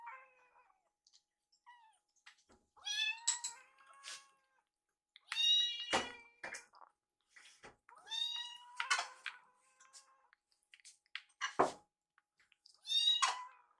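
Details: Rescued kittens Yuki and Piyo, eager for microwave-warmed wet food, call insistently in a kitchen; overlapping high, harmonic meows come in quick succession, mixed with sharp clatters and knocks of food preparation.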